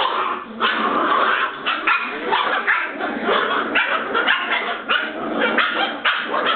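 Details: Overlapping high yips and rough growling from a group of Border Terrier puppies, Bois Caiman, come in quick irregular bursts with no real pause throughout.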